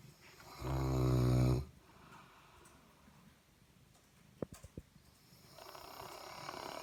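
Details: A male Saint Bernard, a massive snorer, gives one deep, rattling snore, then quiet breathing with a few soft clicks.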